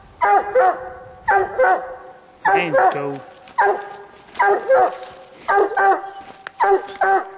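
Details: Bandit, a Walker coonhound, bays up a tree after a raccoon while hunting in the cold. Paired, ringing barks repeat about once a second, with a man's voice briefly mixed in around the middle.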